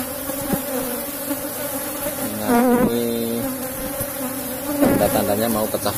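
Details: Cultivated Asian honey bees (Apis cerana) humming from their box hive while honey is taken out; a steady low drone, briefly joined by wavering, rising and falling tones at two points.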